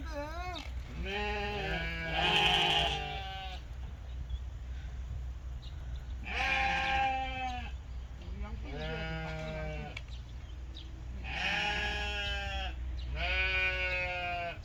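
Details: A lamb at a sheep farm in Goheung, South Korea, running like a puppy; wavering, tremulous bleats come in several bursts about every two to four seconds, with a low steady hum underneath.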